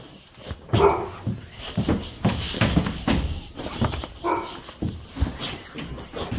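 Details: Excited dog at daycare pickup, glad to see its owner, gives a rapid run of yips and whimpering whines with shuffling and movement noise in between.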